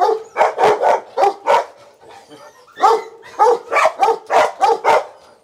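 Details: Belgian Malinois at a breeding kennel in Ho Chi Minh City where a Malinois bitch whelped ten puppies; a run of loud, sharp barks in two bursts separated by a short quiet gap, roughly two barks per second.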